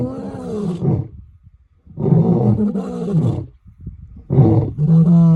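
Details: A lion woken from its slumber roars in three deep, drawn-out harmonic groans broken by brief silences, the last settling into a steady low, rumbling tone.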